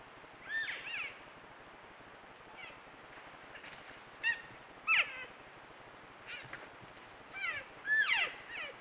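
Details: Trail-camera recording of elk cows and calves communicating: scattered short, high squealing mews, some faint and distant, others louder and sharply falling, about seven calls across nine seconds with steady background hiss.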